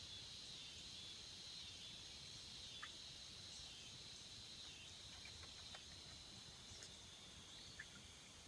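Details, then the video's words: Cicadas sing in a swamp: a steady, thin, high-pitched buzz holds without a break, with a few faint short chirps over a soft low rumble of background noise. "Tranquility and the sounds of cicada in the swamps"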